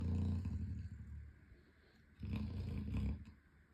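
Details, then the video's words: An 11-month-old Chocolate Labrador named Boomer Bear, running in his sleep, snores loudly: a rough, low rumbling breath that fades out, then returns for about a second before trailing off again. "Our 11 month Chocolate Labrador running in his sleep and snoring loudly!!!"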